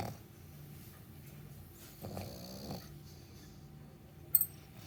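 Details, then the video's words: Dog named Meatloaf asleep in the morning, mostly quiet low breathing broken by one raspy snore lasting under a second, then a brief sharp click near the end. "Meatloaf snoring and having morning sleep"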